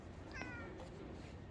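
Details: A cat described as often alone here gives a brief, faint, slightly falling meow over low room noise.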